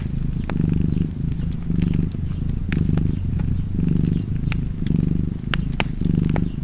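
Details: Domestic cat purring steadily beside a fireplace, a low rumbling drone pulsing in breath cycles roughly once a second, about six cycles, with sharp crackles and pops of burning wood scattered throughout.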